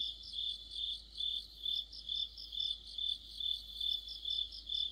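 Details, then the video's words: Crickets chirping in an autumn insect chorus, regular high pulses a little over two per second blending with faint, faster trills from other insects. "가을의 한 복판 곤충들의 합창"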